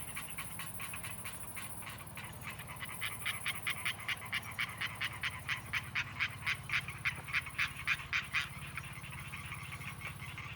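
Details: Unidentified frogs, new to the region this year, give a fast series of sharp, clicking pulses that grow louder over several seconds; the calling has grown in intensity since early summer.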